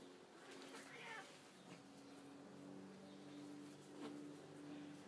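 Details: Domestic cats Tous (male) and Etna (female) fighting indoors, provoked by the tiresome male: a low, drawn-out growling yowl held at steady pitch with brief rising cries, in a faintly noisy room.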